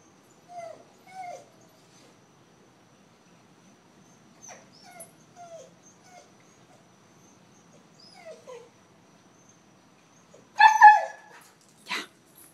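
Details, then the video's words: Astro, a pet dog known for afternoon chats with its owner, whines and yips in short, falling, nasal notes, scattered singly and in pairs through a quiet room, then a louder cluster of sharp yelps near the end. "Astro the talking dog"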